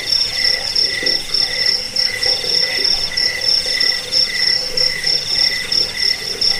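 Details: Cricket sounds offered to chase away rats and to train cage birds. Fast, very high chirps repeat about three times a second over a steadier mid-pitched trill, forming a busy, ringing insect chorus.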